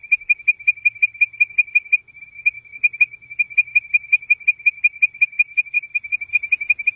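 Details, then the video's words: A Leptodactylus mystacinus frog calls to advertise, a run of crisp, short whistled notes, fast at first and briefly broken near two seconds, then resuming at roughly two to three notes per second over a faint high continuous tone. "Leptodactylus mystacinus (Advertisement Call)"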